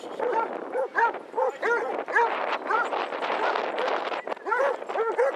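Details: A crowd of 22 Basset Hounds on a February 2014 walk in Hazlehead Park, Aberdeen, Scotland: overlapping arched bays from several dogs pile up into a dense chorus, mixed with people talking.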